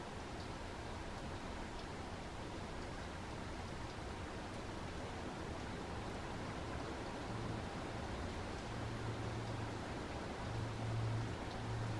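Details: Steady rain hiss with a low rumble underneath and no animal voices.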